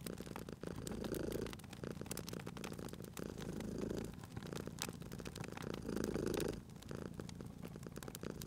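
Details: Sleeping domestic cat beside a crackling fireplace in a cozy spring setting purrs with a low, rumbling drone that swells and fades in uneven phases, while sharp pops and snaps of burning wood crackle throughout.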